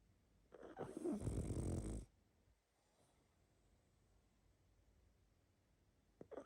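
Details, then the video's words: Pug asleep, producing one long, rough snore of about a second and a half, a rattling low drone with breathy texture, followed by quiet and a faint snuffle near the end. "Храп и сопение мопса"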